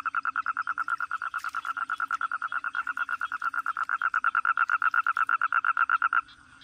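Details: Steady pulsed toad trill, roughly seven quick mid-pitched croaks per second, running evenly for six seconds, then cutting off, leaving a low background hum.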